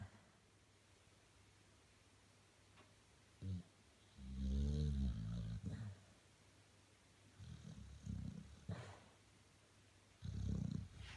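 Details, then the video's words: A 13-year-old male Staffordshire Bull Terrier snores in his bed in low, rumbling bursts with quiet gaps between breaths. "Staffordshire Bull Terrier Snoring"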